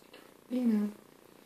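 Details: Nina, a pet cat, grooms herself in a bathtub and gives a single short, low mew of about half a second. It holds a steady pitch, then dips slightly at the end, against a quiet indoor background.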